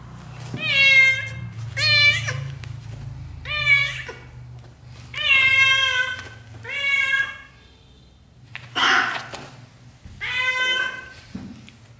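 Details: British shorthair kittens, black golden and blue golden, growing up in their first 30 days with their mother indoors; a series of six clear, high, harmonic meows roughly every one and a half seconds, some bending downward, over a low steady hum.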